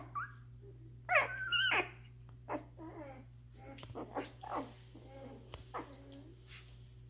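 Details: A week-old Doberman litter feeding and resting together. A loud wavering squeal comes near the start, followed by softer scattered squeaks and small whines over a low electrical hum.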